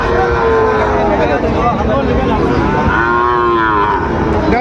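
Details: Sahiwal bull calves at Raniganj cattle market in Dinajpur on 22 January 2026, as trading begins; two drawn-out, tonal moos, one opening the recording and another near three seconds, over steady crowd chatter and bargaining voices.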